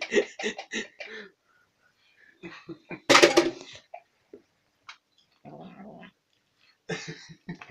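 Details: Domestic cat making odd noises while eating sour cream: short broken bursts, a loud cough-like rasp near the middle, and a low buzzing growl of about half a second toward the end, separated by smacking sounds.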